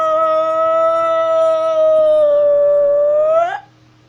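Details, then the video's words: Howling wolf of North Eurasia, on the move, holding one long smooth tone that dips slightly late and then lifts upward at the close, sustained over three seconds above a low constant hum. "Wolf is Walking while howling"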